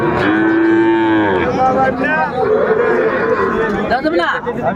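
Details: Young bull calves at a cattle market in Comilla, Bangladesh, on 6 January 2025: a sustained, level bellowing moo opens the clip and lasts about a second, followed by further overlapping lowing calls amid crowd chatter and music.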